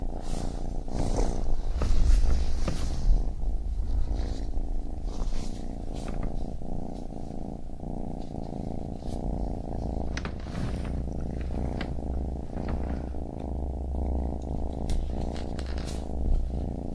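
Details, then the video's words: Deep rumbling purr of a baby kitten, breathing-paced pulses overlaid with many small clicks and rustling taps throughout. "Baby Kitten Purring"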